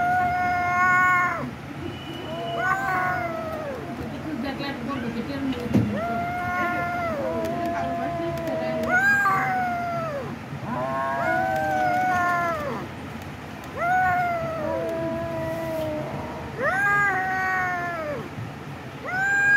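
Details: A cat meows over and over, each call a drawn-out, arched, whining meow rising then falling, about a dozen in quick succession with short pauses, over a low steady background hum.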